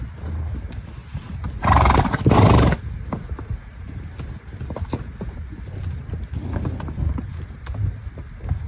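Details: A horse in a herd gives one loud, harsh neigh lasting about a second, rising sharply out of a steady low rumble of hooves and movement that continues throughout.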